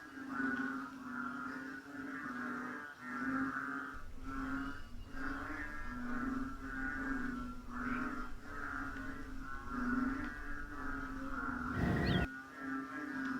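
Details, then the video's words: Frogs of North Borneo chorusing by tropical jungle at 8 pm in rain and cold; continuous low humming croaks in repeated swells, a soft low rumble joining midway, and a brief sharp knock near the end. "AUDIO SOUND OF BORNEO FROGS ( BUNYI ASLI KATAK BORNEO )"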